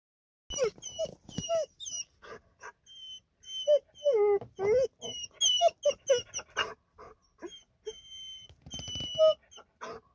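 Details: A quiet dog that seldom barks, excited to meet his dog friends at a parking area, uttering soft, quavering whines in short repeated bursts with thin high squeaks between them.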